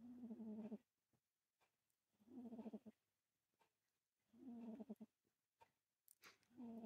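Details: Domestic cat snoring in deep sleep: tonal, nasal snores of just under a second each, repeated about every two seconds with quiet pauses between, plus a few faint clicks.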